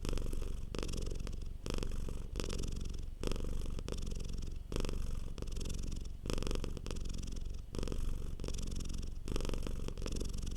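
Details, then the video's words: Domestic cat purring softly while relaxed, a low steady rumbling purr that swells and dips with each breath, roughly every one and a half seconds, with no other sounds. "Purring Cat sound for Relaxation. Cute Cat Purr."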